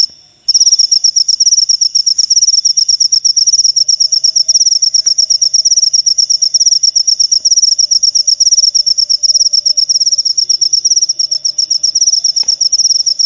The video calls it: Suara Jangkrik Pengusir Tikus